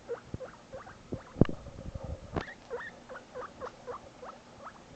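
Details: Pet guinea pig Shinobi calling out when parted from his buddy Barbock, giving rapid, repeated rising squeaks, interrupted by a couple of sharp thumps or clicks partway through.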